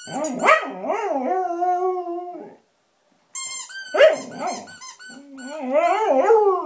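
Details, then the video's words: Pet Samoyed named Blizzard howling at a squeaky toy, wavering yodel-like howls that rise and fall before settling into a sustained tone, a short silence, then another round of warbling, uneven howls. "Samoyed Howling"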